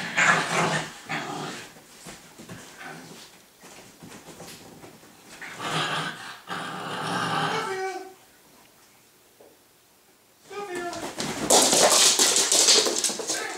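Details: Playful tussle between two puppies, a six-month-old Staffy and a Staffy cross husky; bursts of throaty play growls and grumbles, a few thin whines, a quiet stretch, then loud scuffling and rustling.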